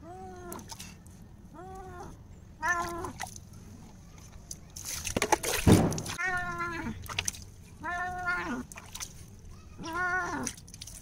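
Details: Pet cat being bathed, letting out a string of loud, harmonic meows, each rising then sliding down, about every one to two seconds, broken by a burst of splashing water midway.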